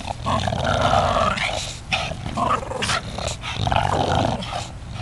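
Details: Two dogs, Watson and Huey, playing ball together; low rumbling growls with a harsh tonal band swelling and fading twice over several seconds, broken by scuffling, while a person urges them to get the ball.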